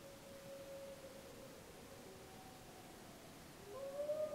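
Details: Gray wolves of the Snake River pack, Wallowa County, July 2012, pack members answering a pup: a steady sustained howl early, a long quiet stretch, then a louder howl rising in pitch at the close.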